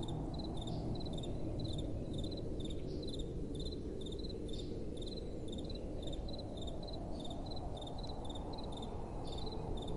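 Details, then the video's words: Crickets at night with bright, clipped chirps grouped in pairs and triplets, evenly spaced across the recording, above a dense bed of soft blowing wind. "Relaxing Night Time Sounds | Crickets & Soft Wind"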